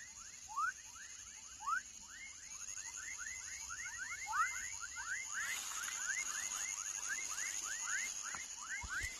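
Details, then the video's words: Baby frog calling in rapid, overlapping rising chirps, several per second, with a few louder sweeps early on and a constant high-pitched background hiss. "Som de Rã filhote / Baby frog sound"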